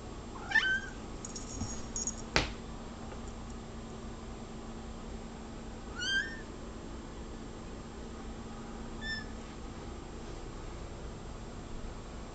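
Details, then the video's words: House cat fixated on a bug on the wall, meowing in short bursts: a sharp meow near the start, another midway, and a faint brief one later, separated by long pauses with a soft indoor hum and a knock. "Cat Meows Nonstop"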